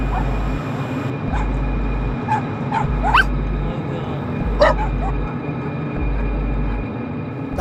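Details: Dogs kept in tiny cells on a dog farm, several short yips and barks scattered through the clip over loud rhythmic machine hum and background voices.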